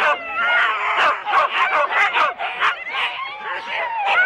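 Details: Excited Huskies from 4-dog sled teams at a race start in Rendlesham, January 2016; a dense chorus of overlapping yelps and barks with high wavering cries and almost no pause.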